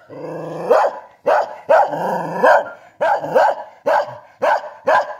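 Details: Kintamani dog in Bangli, Bali: a drawn-out growl runs into a string of loud, abrupt barks, roughly seven in five seconds, with brief growling between them.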